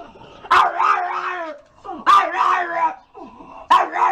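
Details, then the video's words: Dog giving three loud barks, each a sharp onset followed by a drawn-out, wavering howl-like tail, spaced about one and a half seconds apart in a quiet setting. "Lustige Hunde zum Totlachen#funny dogs"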